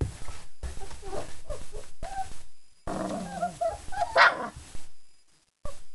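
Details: Four-week-old German Shepherd puppies, a litter just fed a meal of kibble with yogurt, yeast and raw chicken, give short high whimpers and whines in uneven bursts. A brief sharp squeal rises above them, with pauses of silence between.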